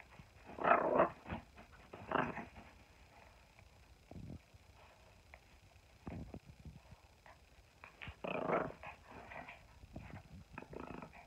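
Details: Silver poodle growling during play fighting with a person indoors; rough, noisy growl bursts near the start, around two seconds and again after eight seconds, with quieter breathy sounds and scuffles between.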